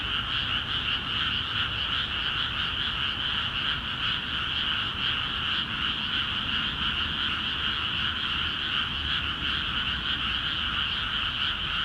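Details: Densely packed frog calls rise from rice paddies in Akiha Ward after water was let in; a continuous, trilling chorus with quick irregular pulses, about two or three per second, fills the whole stretch.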